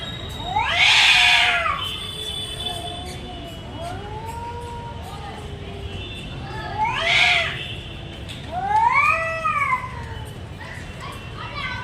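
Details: Two cats in a fight trade loud, strained caterwauls: harsh bursts rising and falling, separated by quieter moaning yowls that arch up and down, and ending in a shorter wavering cry, with a low rumble underneath.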